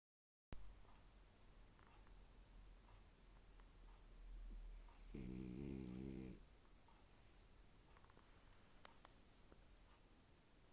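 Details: A male French Bulldog asleep on a bed gives one low, rattling snore, about a second long, in a quiet room.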